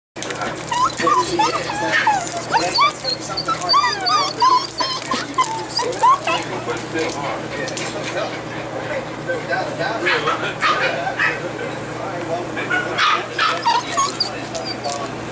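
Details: Golden retriever puppies in Washington state give many overlapping high, wavering whines and squeals, crowded and nearly continuous throughout, with human voices mixed in.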